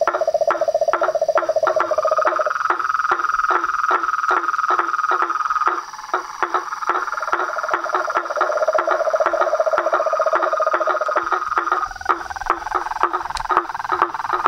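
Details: Nightfall chorus of toads, frogs and tree frogs at a pond by a house: a lower rapid trill gives way to a higher sustained trill, then returns, all under a steady stream of clicking calls.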